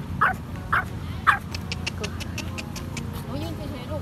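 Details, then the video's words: A Pomeranian-Chihuahua mix, said to bark a lot, gives three sharp, high yapping barks about half a second apart, with a person talking. "หมาน่ารัก ปอมผสมชิวาว่า เห่าเก่งมากๆ"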